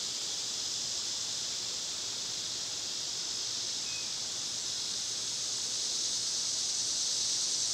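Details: A summer cicada chorus makes a constant, shimmering high-pitched drone that swells slightly louder toward the end. A single faint short chirp sits underneath.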